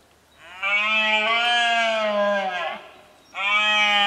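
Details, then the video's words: Rutting red deer stag bellowing at Cazorla in 2013, a sustained, rich roar lasting over two seconds that sags at the end, followed by the loud start of a second roar. "BERREA en CAZORLA"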